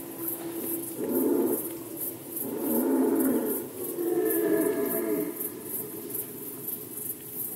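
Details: Rutting red deer recorded in Poland in 2020, giving three rough, low roars one after another, each lasting about a second, the middle call the loudest and the last trailing off into a hoarse groan.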